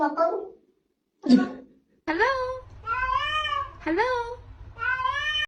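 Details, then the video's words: Pet cat answering a person's spoken hello with a run of stretched, pitch-bending meows, roughly one each second, over a low steady hum. "Cats can talk."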